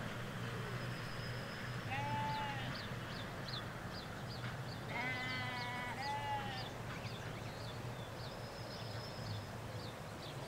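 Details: Ewes and lambs in a field in the Hampshire countryside, England: two clear, wavering harmonic bleats near two and five seconds, with quieter high bird chirps scattered throughout and a low steady rumble of distant road traffic.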